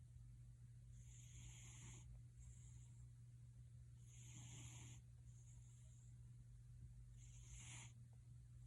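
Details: Pet cat Gildong purring like a snoring man, raspy inhale-exhale bursts repeating about every three seconds, five pulses in all, with a low hum in the background.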